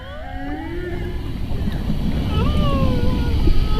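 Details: Whale song recorded from a boat with a homemade amplifying device: long, smooth tonal moans that slide up and down, heard over steady low engine rumble.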